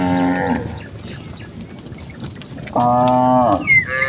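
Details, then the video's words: Herd of village cattle, mothers and calves heading back to their barn, gives two moos: a brief low call at the start, then a steady, level, nasal moo lasting under a second after a quiet pause. "suara sapi lembu desa mooo"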